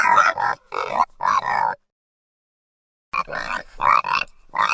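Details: Piglet, a baby pig, giving rough, harsh squealing grunts in quick bursts, two runs of about three to four calls separated by a silent pause.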